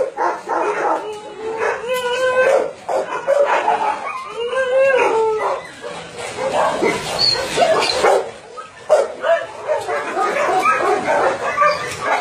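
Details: Dogs at a combined meat farm and puppy mill in Nonsan, South Korea, January 2017, bark and yelp in a chaotic chorus; some drawn-out whining barks stand out early, with a person speaking among them.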